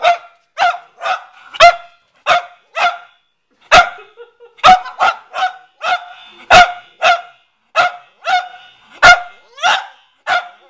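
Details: Pet Cavalier King Charles Spaniel repeatedly barking at a watermelon he spotted in the garage; rapid series of sharp, ringing barks, roughly two per second, with occasional softer whines between them.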